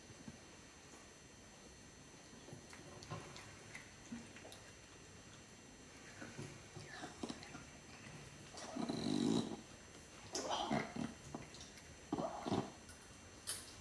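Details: Elderly male house cat Furball, 18.5 years old, purrs from happiness over his food, producing soft snorting sounds; faint at first, then louder clustered rasping snorts in the second half, each burst brief and irregularly spaced.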